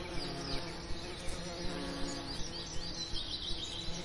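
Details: Quieter bee buzzing in a summer lavender setting, a soft continuous drone with faint wavering tones. Light ticking sounds come at a steady rhythm, and faint high chirps are heard in the background.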